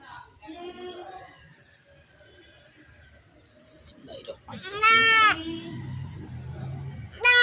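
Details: Goat bleating while being castrated and held by men; after quiet voices, one loud, wavering, harmonic-rich bleat lasts about half a second, with another beginning at the very end, amid speech and background music.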